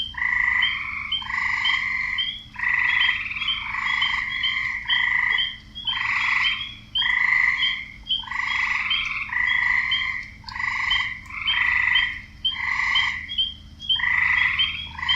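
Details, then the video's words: Croaking frogs in a wetland, many rough pulsed calls overlapping into dense bursts that rise and fall every second or two for the whole stretch, with a faint low hum underneath. "Relaxing Sounds Series - Part 13 - Frogs"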